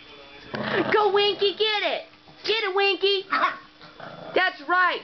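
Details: Two dogs, one a foster dog, playing together for the first time and play barking at each other. Rapid bursts of sharp, harmonic yips and barks come in quick clusters, with a person's voice urging them on in between.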